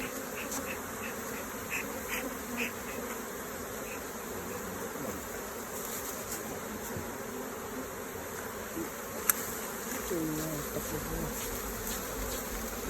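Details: Honey bees at the hive during a honey harvest with hive inspection and honeycomb removal; a steady, low-level broadband buzzing runs throughout, with a sharp click near the middle and faint voices in the background.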